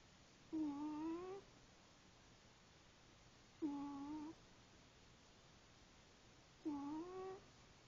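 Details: Female house cat snoring while asleep, three short nasal, tonal snores, each under a second with a slight upward bend, repeating about every three seconds in a quiet room.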